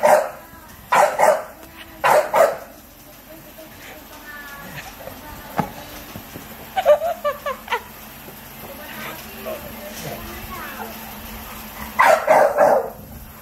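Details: Spike, a pet American Bully, barks at his food bowl: two short, rough barks near the start and another pair near the end, with a person speaking in between.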